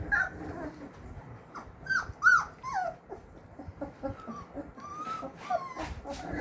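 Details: Labrador Retriever puppies whining: thin, squeaky, sliding whimpers, several falling in pitch, scattered through the clip with faint voices and household clatter behind.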